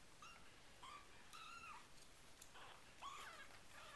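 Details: Four-week-old RagaMuffin kittens of the Winter Wonderland litter mew repeatedly indoors: thin, high, slightly arched calls, about five in four seconds, some overlapping, over a quiet background with faint taps.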